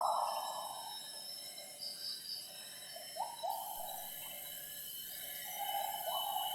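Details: Wild gibbon singing at 07:58 in the morning in primary rainforest at Semenggoh Nature Reserve near Kuching, Borneo: a few rising, swooping hoots, some in a short run, over a steady shrill drone of forest insects.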